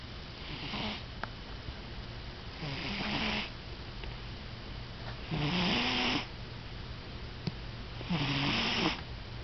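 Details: Domestic cat asleep and snoring indoors: slow rhythmic breaths about every two and a half seconds, each a rough rasping snore with a low buzzy rattle, separated by quieter pauses.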